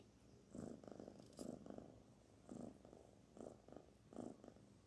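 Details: Purring from the kitten Barfi during petting: a soft low vibrating rumble rising in short bursts about every half to one second, some pulses doubled, with slight rustle between.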